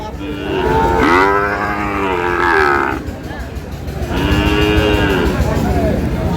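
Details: Sahiwal bull calves at a cattle market in Sylhet, Bangladesh, on 22 May: two long, drawn-out harmonic moos, the first about two seconds and the second shorter, over a steady murmur of market noise.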